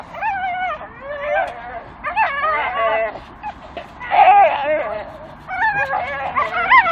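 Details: Pair of Staffordshire Bull Terriers gnawing a dustbin lid that swings from a tree, producing continuous high, wobbling whines and yelping squeals in clustered bursts.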